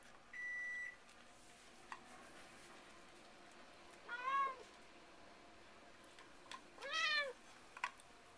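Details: Pet cats indoors: Chester desperately licks an empty can of cat food while Wendy keeps the treasure to herself. Two arching, harmonic meows about three seconds apart, preceded by a steady electronic beep and faint clinks.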